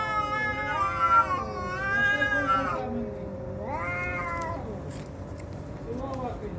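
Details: Fighting cats yowl in a long, wavering wail that bends downward, followed after a pause by a shorter rising and falling howl and a faint final cry, over a constant low hum.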